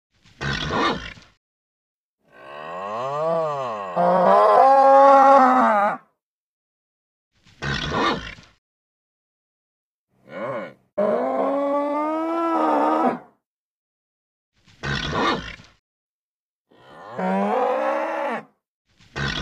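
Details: Agitated bull calling repeatedly in long drawn-out bellows that swoop up and down in pitch. Between them come short harsh grunts, seven or eight vocal bursts over about twenty seconds, with abrupt silences in between.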